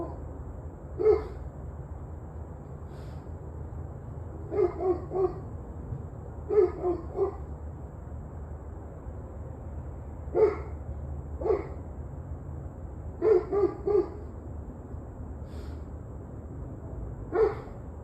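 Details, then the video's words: Dog heard barking at 7:06 pm on 21 November 2023, somewhat distant barks in short clusters of two or three, repeated over many seconds against a steady low rumbling background noise. "26 Minutes of Barking Dogs"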